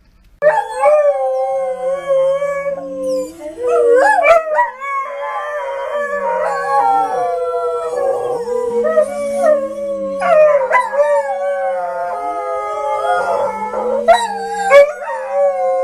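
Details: Several dogs howl together in overlapping, wavering voices. Long sustained notes rise and dip, punctuated by sharp yelps, with one lower voice weaving beneath the others throughout.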